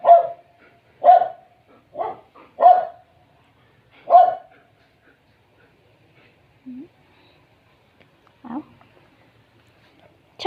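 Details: Guarding Dobermann barking protectively; five loud, deep, clipped barks spaced about a second apart, then silence broken by two soft low grumbles and a final bark.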